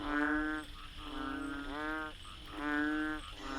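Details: A banded bullfrog (Kaloula pulchra) calls from a drain at night in Pasir Ris Park, Singapore, with deep, droning, nasal notes, each under a second, repeated in a steady series; the species often calls after rain.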